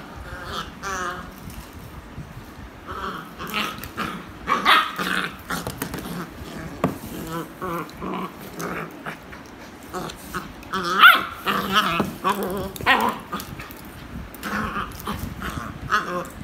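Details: A beagle making noise while playing with toys: short harmonic barks and yelps mixed with low growls, in irregular bursts over about sixteen seconds, with some background rustling.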